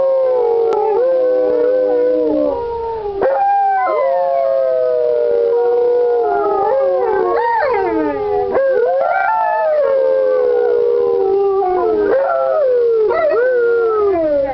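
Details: Several Alaskan Malamutes howling together at Indian Creek Malamutes; overlapping long, wavering howls slide up and down, with voices weaving around each other and sharp upward swoops breaking in every few seconds.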